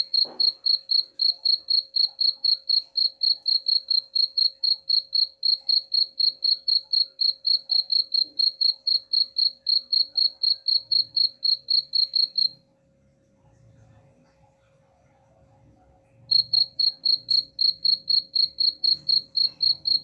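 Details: Cricket chirping intended to drive rats away, a shrill high pulse repeated roughly four times a second, stopping for about four seconds near the middle before resuming, with faint low background noise during the pause.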